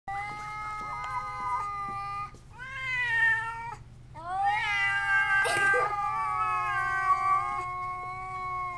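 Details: Indoor cat angrily caterwauling through a screen door at a visiting cat: long drawn-out yowls with rich harmonics, some sliding upward then holding steady, broken by a short gap, over a constant low electrical hum.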